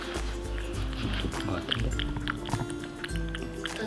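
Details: Background music plays throughout, with light clicking sounds and no animal voice.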